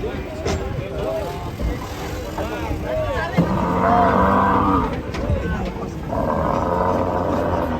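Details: Men talk over the opening; then a raging cow bellows twice, a loud sustained moo of about one and a half seconds followed by a second long, steady low.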